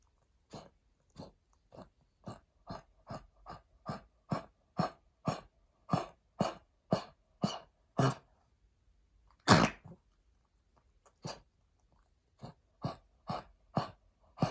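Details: Oliver, a Pekingese adopted heartworm positive, coughing from heartworm damage to the lungs after his final treatment while being weaned off steroids; harsh, dry bursts repeat about twice a second, with a pause and one louder burst near the middle.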